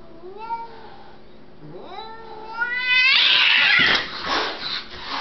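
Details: Two house cats, Rider and Meister, squaring off indoors while one is visiting for the week: drawn-out wavering yowls that climb in pitch, then erupt into a loud, harsh burst of hissing and screeching.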